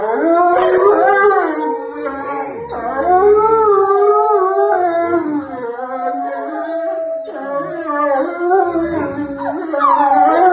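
A husky gives a drawn-out, tuneful howl, its voice rising and falling in smooth glides with brief breaks between phrases. The notes waver and bend continuously, giving the sound a sing-song quality.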